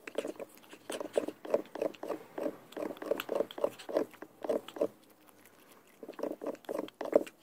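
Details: Peanut the pug making rapid, rhythmic snorting grunts indoors, about three short raspy bursts per second in a steady run, a brief pause, then another quick series.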